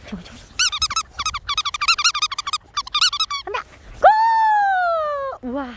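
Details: Dog wearing shoes on a snowy day, giving a rapid run of short high squeaky whines, then a long drawn-out whine that slowly falls, with people talking nearby.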